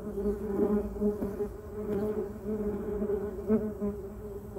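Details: Bumblebees buzzing around a yellow cassia bush and a duranta erecta hum with a deep, continuous, low steady drone that swells and fades as they drift closer and away, with a few brief surges in loudness.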